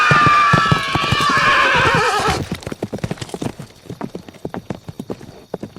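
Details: Long descending horse whinny of over two seconds, shaky and harmonic, trailing off into a run of rapid clip-clopping hoofbeats.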